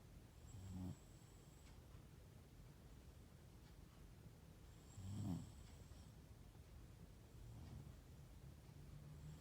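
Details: Pet West Highland White Terrier asleep and snoring indoors: low, rough snorts roughly every four to five seconds over steady background hiss.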